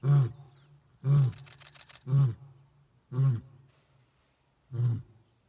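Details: Male lions of the Crocodile pride roaring on a morning safari in Lower Zambezi National Park, Zambia: a series of five deep, loud grunting roars spaced about one second apart, the last after a longer pause, with quiet gaps between.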